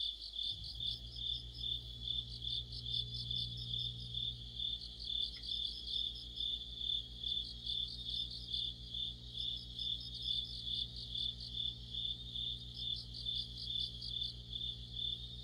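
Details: Autumn night chorus of crickets and other insects: a continuous high, pulsing trill with short gaps between bursts. A low electrical hum runs steadily underneath, and one faint click occurs partway through.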